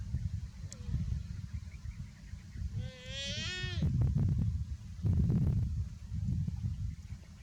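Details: Young buffalo, described as too hot, makes a short wavering bleat of about one second, rising then dipping, followed by thumps and a steady low rumble.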